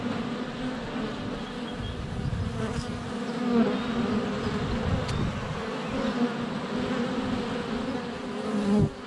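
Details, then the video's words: Honey bees in flight at a hive entrance on a sunny February day, filmed up close with a GoPro Hero 7 Black under a foot away; a dense, steady low hum from many bees, with brief bumps as bees land on the camera. "4K Honey Bees - ambient video and audio"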